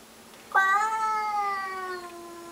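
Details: Domestic cat indoors giving a battle cry at a stray cat skulking in the bushes outside: one long, loud, harmonic yowl lasting about two seconds, starting abruptly and slowly falling and fading in pitch.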